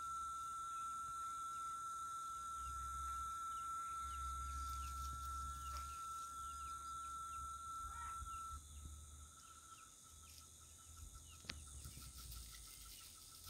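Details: Late-afternoon cicada chorus in the countryside of Itaporanga, Sertão da Paraíba, on 14 December, as night approaches. A level whistled tone runs unbroken for about eight seconds, then stops. Background: a steady high hiss, soft bird twitters, low rumble.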